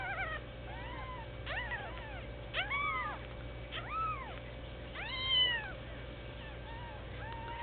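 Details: One-week-old Sphynx kittens, kept indoors as pets: thin, high, arching mews repeated irregularly every second or so, each rising then falling, over a steady low hum and soft background music.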